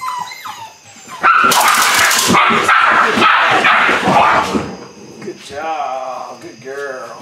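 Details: Eight-week-old Belgian Malinois pups of the Android Whiteline Czech x Mason's AnnieLou litter during early bite work; a loud scuffling, noisy stretch gives way to drawn-out, wobbling whines with rich harmonics near the end.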